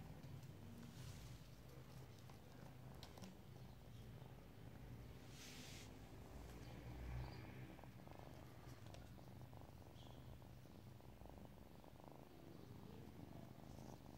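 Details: A relaxing kitty purring steadily, a low continuous rumbling throb held throughout, with faint rustles and small handling noises over it.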